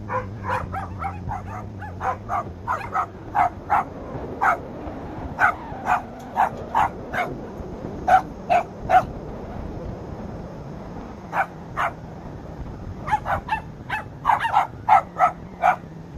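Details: Lhasa Apso puppies guarding the house bark in quick bursts of sharp, high yaps, several in a row, pausing briefly around ten seconds before resuming in rapid clusters.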